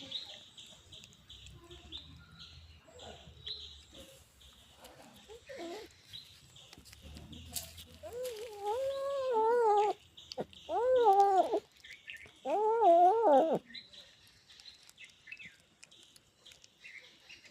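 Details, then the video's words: Cat vocalizing while eating fish: a run of loud, drawn-out, wavering moaning calls in three bursts, rising and falling in pitch, with faint high chirping in the background. "Cat#eating #fish #making noise"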